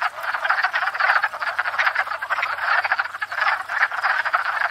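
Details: Wood frogs chorusing at a pond in spring after thawing out, gathered to court and breed; dense overlapping clucking, duck-like croaks pulsing continuously from many frogs, no other sounds.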